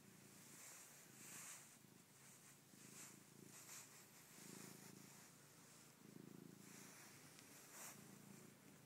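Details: A pet cat named Lulu purring close up: a low, rumbling purr that swells and fades in pulses roughly every second, matching in-and-out breaths, over a soft steady hiss.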